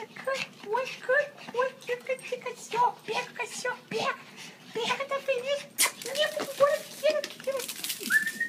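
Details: Two small pet dogs, a Maltese and a Yorkshire Terrier, play indoors, excited as their owner gets home after a long overnight shift; quick high whines and yips tumble out several per second, with a human voice mixed in.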